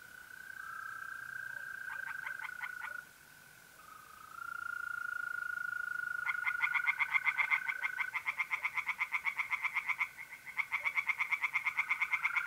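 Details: Tree frogs singing at night in a pond in mid-April, North-East Italy: fast pulsed croaking trains in bursts, separated by short gaps, over a steady pure trill from mole crickets.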